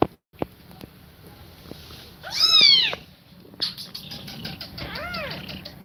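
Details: Cat breathing fast while feeding milk to kittens; one loud, drawn-out falling meow midway, then a softer arched meow near the end, with light clicks and rustles between.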